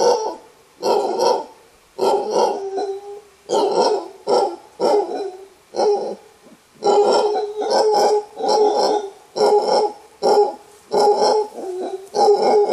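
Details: An alpha male mantled howler monkey in a clan high in a thick bamboo forest in Costa Rica gives a rare warning roar of deep, guttural bursts in quick succession.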